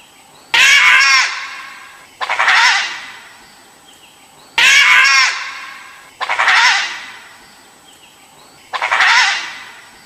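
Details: A dhole's calls: rough, screechy bursts with a warbling tone, arriving in pairs. Each call has a sharp onset and a lingering fade, about five calls in ten seconds over quiet background noise.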